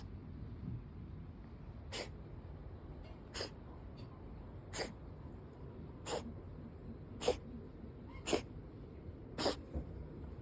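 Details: A female cat sneezing repeatedly: seven short, sharp, breathy bursts spaced roughly a second or so apart, the later ones louder, over a low steady background hiss.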